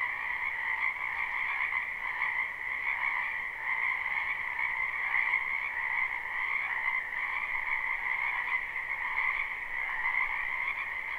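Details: Numerous frogs in a spring wetland, recorded live without looping, keep up a constant trilling chorus; the croaks blur into an even, shimmering drone with a bright upper layer and a softer lower one.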